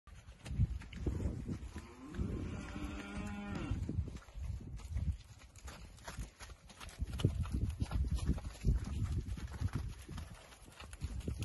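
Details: Poll Hereford steers on a farm; one low moo with a stacked harmonic tone rises around two to four seconds, amid rumbling low-frequency handling noise and scattered knocks.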